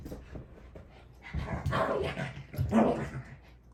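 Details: Mitzi, a pet dog, gives two short throaty vocal bursts after a quiet start, the second rising into a sharper bark-like yelp.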